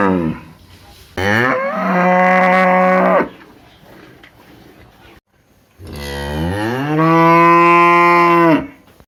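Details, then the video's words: Big cow in a village, two long loud moos, each starting low and swelling into a steady harmonic-rich bellow lasting about two to three seconds, separated by a quiet pause. "cow sound | funny sound of big cow"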